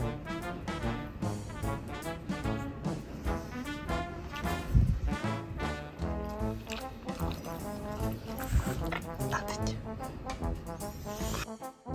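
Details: Brass-led music with trombone-like tones plays throughout, and no animal sound comes through it.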